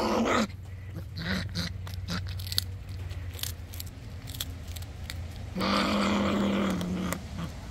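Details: Female fisher, captive, eating freeze-dried fish and growling at her male: low, rough, sustained rumbling growls, a deep drone at the start, then a higher, harsher growl near the end, with scraping and chewing noises between.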